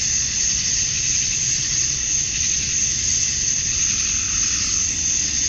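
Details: Dense chorus of male cicadas at summer dusk in Georgia, USA, calling to attract females; a relentless high, grainy buzz with rapid faint pulsing and a soft low rumble underneath.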